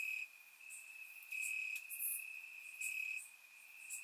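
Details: Crickets calling in grassland at night in Bulgaria during a warm summer, surround-miked: a constant piercing trill with gentle swells lasting about a second, plus scattered faint higher chirps.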